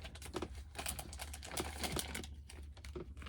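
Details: Tapping, clicking and crinkling of handled objects indoors, with no animal sound.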